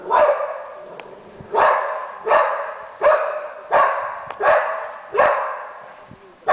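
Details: Search and rescue Labrador Retriever signalling a find with repeated barks: loud, rough, drawn-out barks spaced about 0.7 to 1.3 seconds apart, eight in the clip, over faint background noise.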